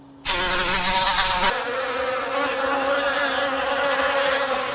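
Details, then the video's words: Forest bees making honey: a loud, harsh burst of rushing buzz in the first second, then a steady, even hum with a low droning tone held underneath. "Forest Bees Make Honey"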